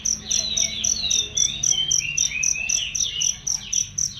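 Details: Loud, clean cricket chirping for training songbirds: rapid regular high pulses, roughly four per second, with lively bird chatter and swooping whistled notes mixed in.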